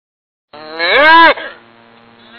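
A cow gives a single drawn-out moo that swells, bends upward and then fades into a low hum.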